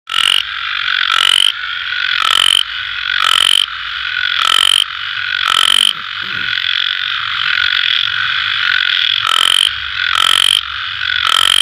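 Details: Four frogs calling together at night: loud rasping croak bursts about once a second over a continuous high, shrill trill, with callers overlapping and answering one another.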